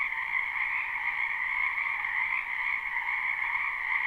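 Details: A brief stretch of live spring wetland frog chorus, heard behind a house: many frogs trilling at once in a dense, high-pitched, unbroken hum. No birds, wind or voices can be heard.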